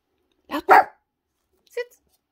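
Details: A Yorkshire Terrier doing tricks gives sharp, high yaps on the German command "Laut" (speak), with a person's brief spoken commands nearby.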